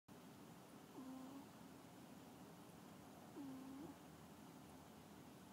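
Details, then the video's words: Domestic cat snoring while asleep indoors: soft, low, rasping breaths heard twice, each lasting about half a second, against a steady quiet background hiss. "Snoring Cat"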